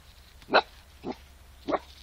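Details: Two-month-old female Tornjak puppy defending her Newfoundland friend and a person against a German Shepherd; three short, sharp barks, the first loudest, spaced about half a second apart against a quiet background.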